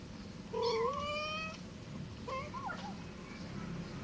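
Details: Domestic cat giving one drawn-out, rising mew followed by a shorter, wavering second meow, set against a constant low rumbling background.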